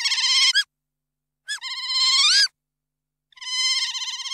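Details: Otter vocalizing in drawn-out, high, harmonic squeals, each lasting up to a second, wavering and rising at the end, separated by short silent gaps.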